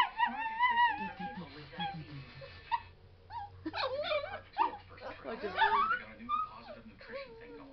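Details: Whining pet dog that dislikes wind on his face: a long wavering whine at first, then a pause, followed by a tumbling series of squeaky, rising and falling whimpers.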